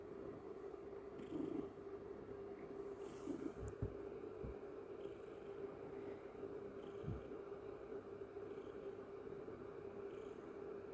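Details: Pet cat purring while snuggling with its owner in the morning; an even, low rumbling purr runs throughout over a constant hum, broken by a few soft thumps and a brief rustle.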